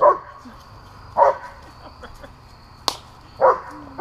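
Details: German Shepherds, two of them, barking while at play with balloons: three separate gruff barks spaced over a second apart, with one sharp crack between them.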